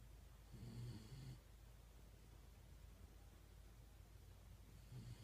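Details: Shiba Inu named Yun (遊雲), asleep and snoring remarkably loudly, recorded 1 December 2016. Two low, rasping snore breaths, each under a second long, separated by about three and a half seconds of quiet room hiss.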